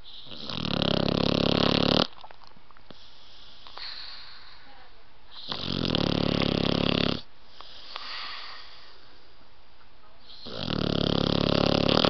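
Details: Roxie, a sleeping blue nose pit bull puppy, snores in three long, coarse, rumbling breaths about two seconds each, separated by quieter pauses of a few seconds, indoors with faint background noise.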